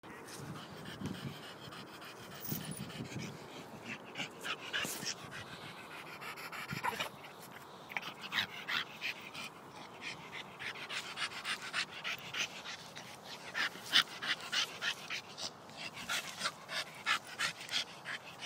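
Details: A Staffordshire Bull Terrier at play pants in quick, breathy bursts, with some snuffling and rustling mixed in.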